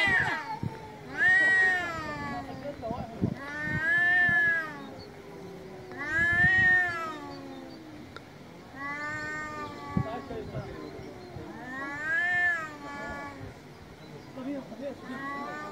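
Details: Male domestic cats on a street in Istanbul meowing very loudly: long wavering harmonic meows rising and falling, about five drawn-out calls spaced every two to three seconds, with a lower moaning voice between them and faint street background.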